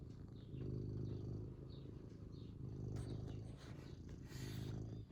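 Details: Happy domestic cat purring contentedly: a steady low rumble with a fine pulsing texture, swelling louder in breathing cycles about every one and a half seconds, with faint soft rustles above.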